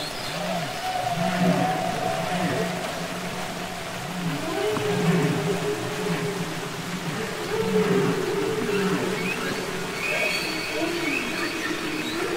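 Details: Humpback whale song recorded underwater, from the album Capitol Records ST-620: a run of repeated low, arching groans about one per second, mid-pitched moans above them, and a burst of high rising squeals near the end.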